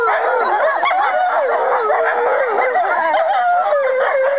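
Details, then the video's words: American wolfdogs Aiyana, Juma, Akani, Shadow and Lupo, all siblings or half-siblings, howling together, 5.11.2011; several tangled voices rise and dip in wavy lines, a steady mid-pitched howl holding under higher yips. "American Wolfdogs Aiyana, Juma, Akani, Shadow and Lupo singing together"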